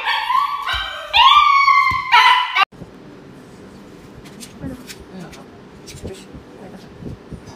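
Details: Dog during an injection whimpers in drawn-out, harmonic cries for about two and a half seconds, then falls silent, leaving faint room noise and soft clicks.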